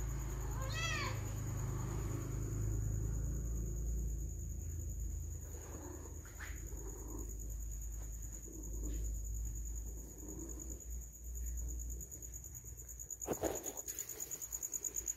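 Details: Domestic cat said to be missing its owner gives one short, harmonic meow that rises then falls near the start, followed by a steady low rumble, scattered clicks and a constant high electronic whine.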